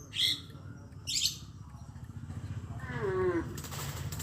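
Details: A cow among the animals roaming village streets on a traditional farm. Two sharp high bursts come first, then a single short moo that falls in pitch, over steady low rumbling noise.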